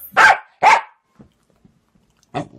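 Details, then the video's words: Jealous pet dog demanding attention from its owners: two loud, sharp barks in quick succession about half a second apart, then quiet with a few faint soft sounds and one more short burst at the end. "Jealous Dogs Demands More Attention"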